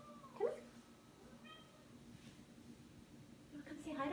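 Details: Male pet cat indoors meowing at its owner while she records a lesson; one short meow near the start, then quiet room hum and faint speech in a small room.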